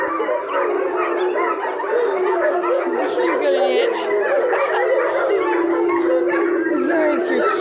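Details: German Shepherd puppies from a litter of two liver and tan and one black and tan, whining together in a steady overlapping chorus of high, wavering cries, with a woman speaking softly to them.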